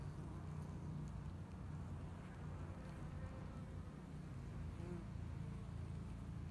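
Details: Honey bees inside a two-year-old hive in Hickory Creek, Texas, working to build up the colony in spring: a dense, steady low buzzing drone with no breaks, strongest in the deep range.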